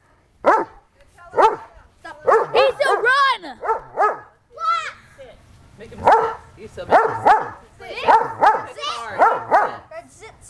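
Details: Dogs at home near dinnertime barking in rapid bursts, often two or three barks close together, with a high yelp in the middle and voices calling to them.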